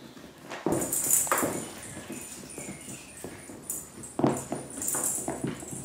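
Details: Chihuahua puppies giving short, sharp yelps in bursts, near 0.7, 1.2 and 4.2 seconds, with softer whimpering between and some light clattering in the background.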